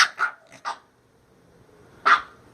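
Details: Minka, a female bulldog, throws a temper tantrum over her new shirt, voicing her upset: four short harsh bursts in quick succession, then a pause and one more loud burst near the end.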